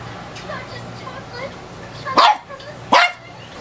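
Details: Mirror-facing female dog of about 15 years gives two loud, abrupt barks close together near the end, after a quieter stretch with faint murmuring and low hum.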